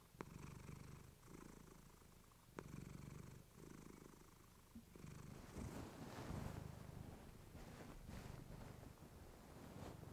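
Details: Domestic cat named Clementine purring close to a fluffy microphone, a relaxing bedtime recording; low rumbling purr in rhythmic breaths with faint rustling and a few sharp clicks.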